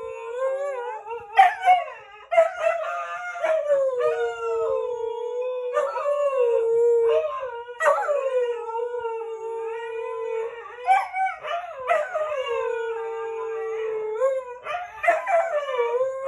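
A Siberian husky howls in long, wavering tones broken by sharp yips and rising whines.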